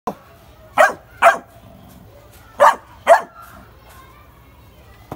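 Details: Labrador Retriever. A Labrador puppy barks in short, bright yaps that come in pairs, about half a second apart. A pause of over a second separates the two pairs, and the room is otherwise quiet.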